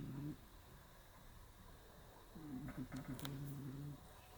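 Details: Cat snoring while asleep curled on a round stool indoors on an early March day: a soft, low, droning snore at the start, then a longer, wavering snore lasting over a second, with a few faint clicks.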